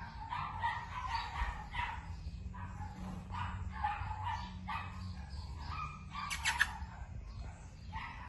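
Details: Keeshond pup, a female, gives a run of bright, yelping barks in uneven bursts over a low droning background, with a brief sharp rattle partway through.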